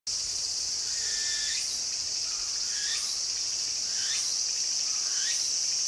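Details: Walker's cicada calling vigorously in a garden: repeated rising sweeps roughly every second over a steady, loud high-pitched insect drone that fills the whole clip.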